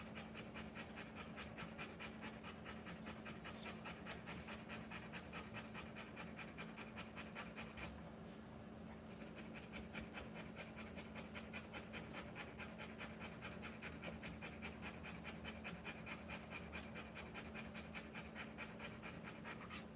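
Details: Female Rottweiler in labour with puppies, panting continuously at a fast, steady pace of about two and a half breaths per second, briefly easing near the middle, against a persistent low mechanical hum.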